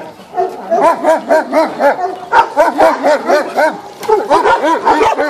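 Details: Dogs barking near a horse that stays unspooked; quick, rhythmic yapping barks, roughly two per second, with several voices overlapping in a steady, insistent run.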